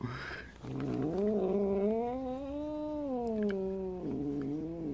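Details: Female Siamese cat, kept indoors since she was a kitten in May 2011, arguing with a three-year-old orange rescue cat that she dislikes. She gives a long, low, drawn-out yowl lasting about four seconds that swells and sags in pitch before dropping at the end.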